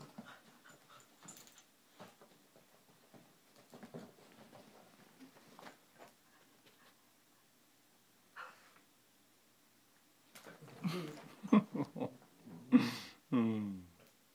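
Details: A pet dog at play with a kitten indoors: quiet panting and rustling at first, then a cluster of louder growls and short whining yelps over the final few seconds.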